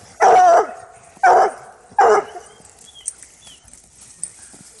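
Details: A hound scenting a caught coyote for the first time gives three strong, ringing bays about a second apart, then falls quiet apart from faint chirps and small background sounds.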